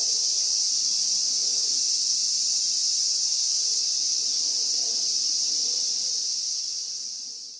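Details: Cicadas calling at the end of summer, recorded 19 August 2020: a dense, steady, high-pitched hiss-like drone that holds unbroken for about six seconds, then gradually fades toward the end.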